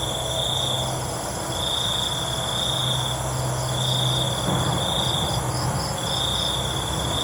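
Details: Cricket chorus at night: short high trills repeat about every second and a half against a steady insect hum, with a low droning rumble underneath.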